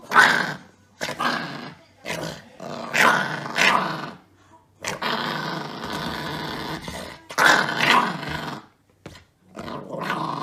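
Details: Chihuahua puppy in rough play, nipping and biting while seeming ferocious; harsh snarling growls come in uneven bursts, some drawn out over a second or more, separated by brief quiet gaps.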